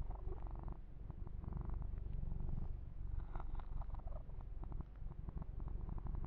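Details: Indoor massage of Yumak the kitten brings a steady low purr, a soft pulsing rumble beneath intermittent light scratching and rubbing of fur.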